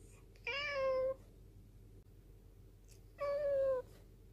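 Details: Rescued black cat, taken in from a mountain village in 2013, meowing to appeal to its owner while holding its gaze; two level, fairly low-pitched meows, each about half a second long, separated by a three-second pause.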